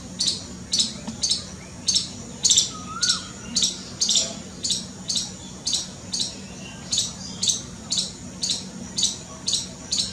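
A frightened squirrel gives sharp, scratchy chirps repeated about twice a second in a steady alarm chatter.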